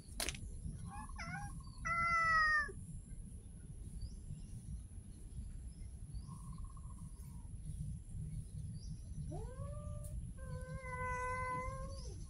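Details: Street cats meowing outdoors: several short harmonic meows near the start, a level mid-pitched meow around the middle, then two longer meows that rise and fall toward the end, over a steady low background rumble and a faint high hum.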